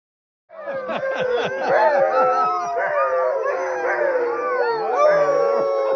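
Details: Alaskan Huskies, sled dogs in summer training in Alaska in June, excited at being chosen to mush; a loud chorus of many overlapping wavering howls and yips, with quick rapid yelps repeating at the start.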